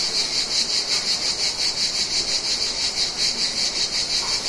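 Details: Cicadas of the Mediterranean, summer: a shrill high buzz that throbs in quick regular pulses, roughly thirteen swells in under five seconds, over a faint background hiss.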